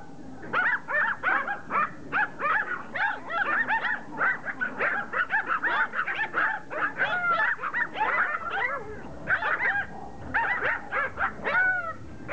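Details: Pomeranians attacking a rugby ball, a steady chorus of shrill yaps and excited yips from several dogs, tightly packed and overlapping throughout, briefly thinning near the end.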